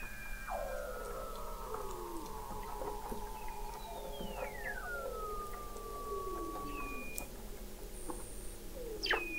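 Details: Weddell seals calling beneath thick sea ice in McMurdo Sound, Antarctica, in November 2017, captured by the McMurdo Oceanographic Observatory 21 m below the ice: long sliding descending whistles, overlapping glides and brief sweeps over a steady low hum.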